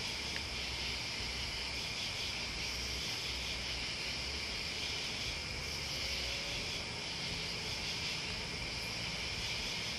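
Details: Unbroken shrill buzzing of crickets and bugs, many callers blending into one even, high ringing band, with a faint low rumble underneath throughout.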